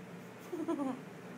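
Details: Tundra, a pet husky, talks on command indoors while being asked whether she wants a treat: one short, tonal, moaning woo that rises and then slides down, with clear harmonics, lasting under half a second in a quiet room.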